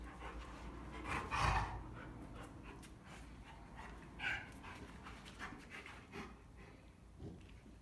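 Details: Rottweilers at play: a large male and a much smaller female play hard, and she backs into him and smacks him with her paw. Quiet, rapid, breathy panting runs through the clip, broken by a few louder, harsher bursts.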